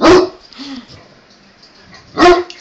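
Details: Great Dane interrupting two male Boston Terriers at play: two loud single barks about two seconds apart, a quiet gap between them holding faint voice sounds.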